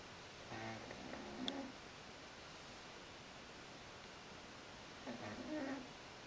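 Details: Burley, a tired female dog, snoring in her sleep indoors: two soft, low, throaty snores with faint harmonic buzz, about four seconds apart, in a quiet room.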